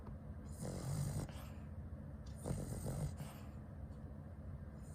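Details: Sleeping Cavalier King Charles Spaniel snoring loudly and not waking; low rumbling snores come in two long breaths about two seconds apart, with a steady hiss in the background.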